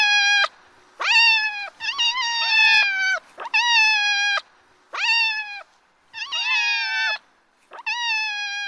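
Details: Kittens and their Scottish Fold mother, father a British Shorthair, calling as she plays and talks with them: about eight bright, sustained meows in quick succession, several overlapping, with short gaps between bursts.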